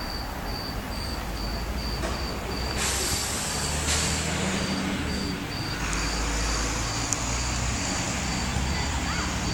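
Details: A cricket recorded in December, on 22 December 2010, giving a steady, high-pitched chirp repeated several times a second without pause, over a loud, constant low rumble like traffic noise.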